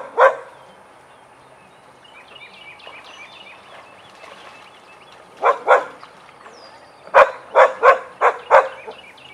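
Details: Vizsla during a den playtime session with Biscuit and Jericho: a single sharp bark, a quiet stretch, a doubled bark, then a quick run of four loud barks near the end.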